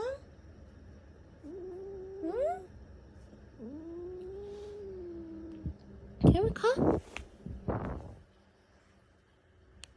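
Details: Female domestic cat, woken suddenly from a sound sleep, hissing indoors: long wavering low growls rise and hold, then sharp, noisy hiss-like bursts cluster near the middle before fading, with a person speaking gently nearby.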